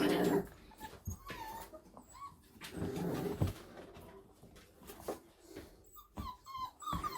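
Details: Five-week-old Staffordshire bull terrier puppies indoors, chewing on their breeder's shoe: brief, thin whines that rise and fall, several scattered through the clip, over low rumbling, rustling and gnawing noises.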